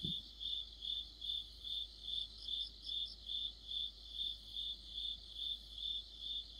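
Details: Late-autumn cricket song within a chorus of insects near a streetlight: evenly timed high chirps, roughly two each second, with a faint secondary trill briefly overlapping and a short low knock at the start.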